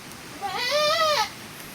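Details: Domestic goat in a herd where another goat has just given birth during the rainy season; one drawn-out bleat, rising then falling in pitch with a wavering, nasal quality, lasting under a second against quiet background.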